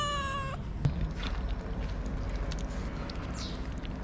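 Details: Hungry cat in Morocco crying for food, one of several that will not share it: a single clear, harmonic-rich meow lasting about half a second, then soft clicks and scuffs over a steady low engine-like hum.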